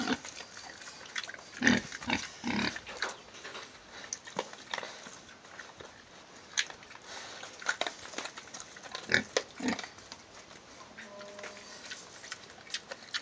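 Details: Pigs kept in a tidy, clean enclosure make loud, coarse grunts in an early burst, then further isolated grunts and snorts spaced several seconds apart, with steady background noise throughout.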